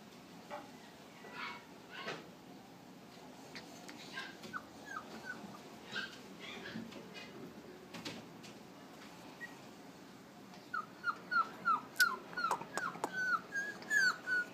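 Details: Westie puppies kept at a Flushing, New York pet store burst into a rapid series of high, rising yelping whimpers near the end, several per second, after quieter stretches of soft shuffling and indoor hum.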